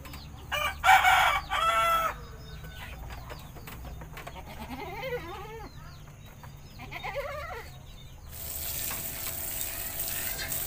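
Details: Goat in a village bleating while being bathed: two loud quavering bleats close together near the start, then softer wavering calls, with a rushing, hissing noise at the end.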